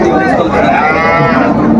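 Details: Cows with calves for sale at Ambari market in Dinajpur, Bangladesh, 20 June 2025; a drawn-out harmonic lowing moo fills the clip over crowd chatter and market noise.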